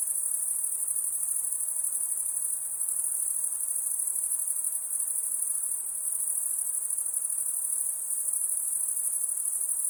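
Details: A steady nocturnal cricket chorus: piercing, rapidly pulsed trilling that runs without pause for ten seconds, with slight swells in loudness and a quiet hiss underneath.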